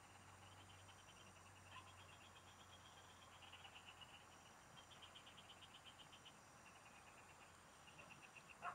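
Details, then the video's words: Frogs singing together in the fields during a fishing outing: overlapping bursts of rapid, high pulsed trills rise and fade one after another over a steady high insect drone. A faint low hum runs through the opening seconds. "Pikinggan mo Ang MGA huni Ng MGA Palaka SA bukid| Relaxing Frog Singing"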